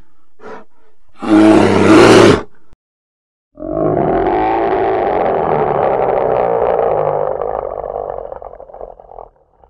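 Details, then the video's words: Polar bear with a faint grunt, then a loud harsh roar just over a second long, followed after a gap by a long drawn-out rumbling growl lasting about six seconds that slowly fades. "Polar Bear 1 Hour Sound"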